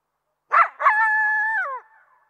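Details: Coyote gives two short sharp barks that run into a steady, held howl, which drops in pitch at the end.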